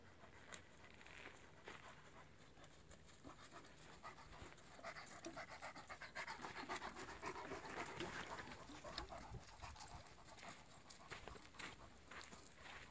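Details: A 17-month-old Irish Wolfhound panting while hiking the South Ridge Trail up Mount San Jacinto from Idyllwild, California, warm at 7,100 feet; fast steady breathy pants nearly twice a second over wind noise.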